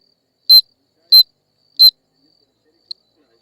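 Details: Insect calling: three short, bright, buzzy chirps spaced about two-thirds of a second apart, then a faint fourth chirp after a pause, with near silence between.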